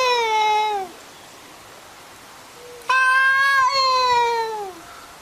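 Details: Cats arguing with each other: a falling meow lasting about a second, a pause, then a louder, longer meow that holds level before sliding downward over nearly two seconds.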